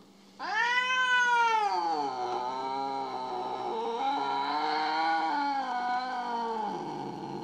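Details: Domestic cat in a compilation of jealous pets, giving a long drawn-out caterwaul: a loud harmonic wail rising sharply, then sustained and wavering for about seven seconds, with a person talking to the cat around it.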